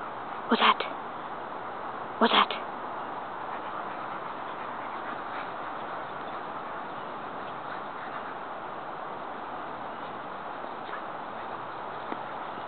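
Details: Jango, a 9-month-old Rottweiler in a backyard sand pit, gives an alert bark on finding a roommate coming home from work: two short, sharp barks close together near the start, then steady background hiss with no further calls.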